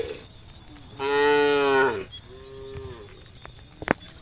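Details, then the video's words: Cow in a herd roaming the countryside, calling its friends: one loud, drawn-out moo lasting nearly a second, then a softer falling moo, with a sharp click near the end and a constant high hiss behind. "the sound of cows calling their friends"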